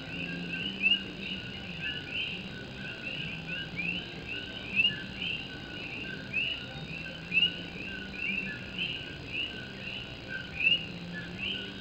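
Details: Enchanting coqui frogs of Puerto Rico call through a rainy night in Morovis beneath a tin roof. Brief rising whistles overlap continuously, while one closer frog repeats a clear upward note about every three seconds over soft rain hiss.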